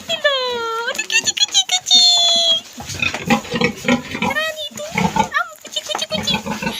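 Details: Newborn piglets of a farm sow that gave birth a day before the expected March 26 date, all alive and healthy: high, sliding squeals that fall in pitch, two long cries early on, then shorter squeaks under close human talk.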